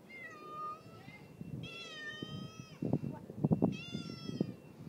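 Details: Neighbour's friendly male cat with a raccoon-like tail, meowing while being fed: three drawn-out, harmonic meows, the middle one longest, followed by clattering and tapping sounds of feeding.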